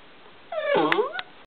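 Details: An 8-week-old golden retriever puppy hiccups while playing, with a short squeaky whine that dips, then rises, and small thumping hiccup sounds like sharp little clicks.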